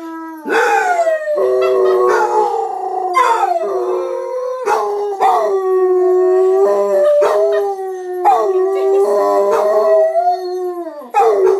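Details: Gracie and Lilly, two pet dogs, join a person in a group howl at home: sustained wavering howls overlap steadily, broken by short sharp onsets roughly every second or two, pitch gently dipping and rising.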